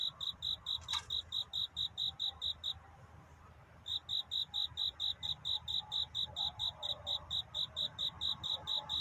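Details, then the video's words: A cricket calls during a night of courtship, with a dawn setting. Rapid shrill chirps run, stop for about a second after a sharp click, then resume at the same fast, regular pace over a quiet low hum. "귀뚜라미 울음소리. 슬퍼 말아요 우는 것이 아니라 사랑을 찾는 노래랍니다"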